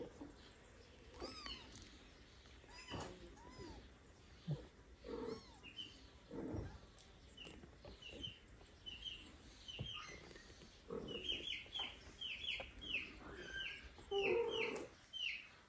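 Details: Little kittens with their huge father cat acting like a mother. Soft, high mews repeat throughout over a background hiss, growing denser and louder toward the end, with some low thumps and rustles.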